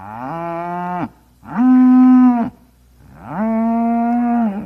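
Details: Cow mooing, three long, loud, low moos, each rising at the start and then holding a steady tone for about a second, separated by short silent gaps.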